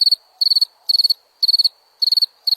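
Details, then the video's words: Crickets giving bright, high-pitched pulsed chirps, each a rapid burst of four or five clicks, repeating about every half second against a quiet background. "Som de grilo"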